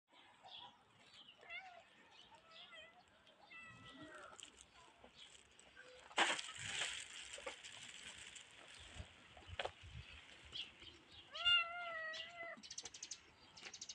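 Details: Tiny grey cat giving a short run of clear, slightly wavering meows near the end, after scattered faint squeaks and a burst of rustling noise midway.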